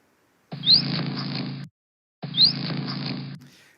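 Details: Whale song played back: a single smooth tonal moan that dips, then rises slowly and glides through a long arching contour before falling, with rich harmonics stacked above it.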